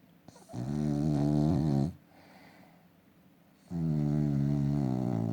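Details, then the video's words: Sleeping dog snoring: two long, rasping, droning breaths of about one and a half seconds each, separated by a quieter pause, with a rich stack of low harmonics and no other clear sounds. "Snoring dog"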